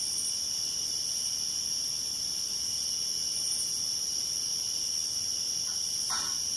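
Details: Crickets keep up a steady, high-pitched trilling chorus on a summer night around a night light at an old farmhouse, where a young tree frog clings to a window frame catching insects.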